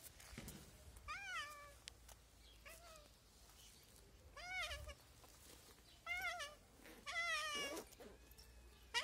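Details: A hungry street cat meowing insistently, five clear rising-then-falling harmonic meows spaced one to two seconds apart, each drawn out and slightly wavering, with faint background rustle between calls.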